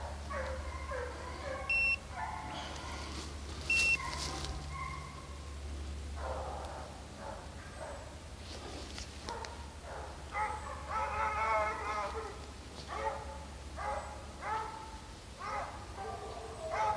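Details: Hunting hounds on a deer hunt in St Helena, South Carolina, baying together while chasing deer: overlapping harsh, ringing bays from several dogs, coming in bursts. There are electronic beeps early on and a steady low engine-like hum.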